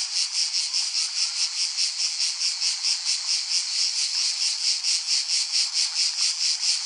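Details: Shrill, high-pitched cicada buzz throbbing in regular pulses, a little over two per second, steady and unbroken throughout.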